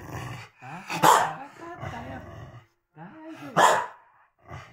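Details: A Corgi barking to interrupt its owners while they chat happily; two loud sharp barks about 2.5 seconds apart, with growly vocal sounds and a person's voice repeatedly reassuring the dog in Japanese between them.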